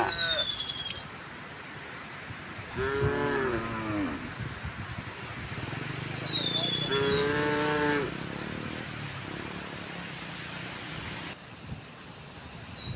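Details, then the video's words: Morning scene of a tame cow herd strolling to pasture: two drawn-out, wavering moos about four seconds apart, while birds whistle descending notes and a low rural rumble runs beneath. "the sound of cows"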